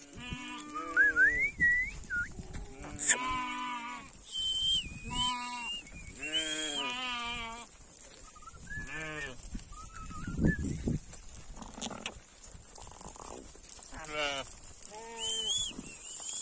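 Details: Sheep going home, several animals bleating in quick succession with overlapping wavering calls of varied pitch, while clear whistled notes sound repeatedly among them.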